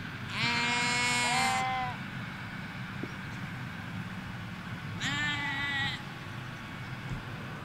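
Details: Sheep in a Hampshire field with ewes and lambs: one long, loud quavering bleat, then a shorter bleat about four seconds later, with distant traffic rumble throughout.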